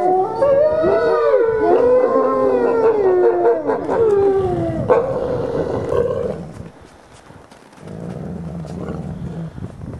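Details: Captive ambassador gray wolves in a dominance interaction, recorded 15 December 2008: loud, wavering whines and yelps with stacked harmonics for about six seconds, then softer low growling rumbles.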